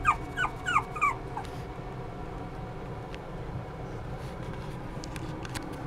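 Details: Poodle x Maltese mix puppy whimpering: four short, high, downward-sliding whines packed into the first second, then only a steady low background hum for the rest.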